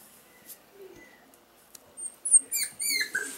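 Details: Male Pomsky puppies, five weeks old, from the parents Winter and Dash, indoors. After a near-silent start with faint rustles, a quick run of high, squeaky whimpers and yelps rises and falls over the final second.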